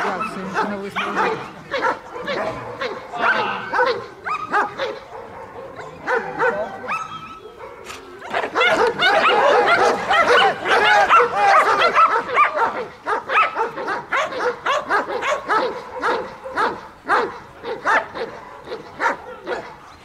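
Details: German Shepherd in bodyguard protection training in Odesa, Ukraine, trained alongside Belgian Malinois; rapid, harsh barks in dense, uneven bursts, growing louder and more continuous in the middle, with voices mixed in.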